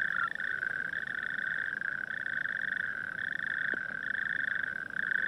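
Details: Natterjack toad (Epidalea calamita) chorus calling at night in coastal dunes, a loud, continuous rattling trill that never lets up and echoes around the dunes.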